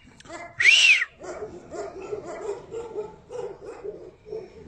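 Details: Tibetan Mastiff: a loud, harsh rising-falling burst opens, followed by a steady run of rapid, mid-pitched barks repeating roughly every half second.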